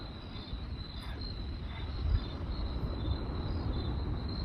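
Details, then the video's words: Night-time crickets keep up a thin, high, evenly pulsed chirping, rhythmic groups repeating every half second or so, above the deep rumble and sharp pops of a crackling campfire. "Cricket Sounds by Night"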